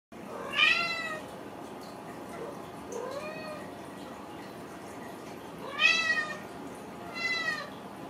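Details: Ragdoll kittens raised indoors without cages at a cattery in central Kansas: loud, harmonic, rising-falling meows, two strong ones near the start and end with fainter mews between, in a quiet room.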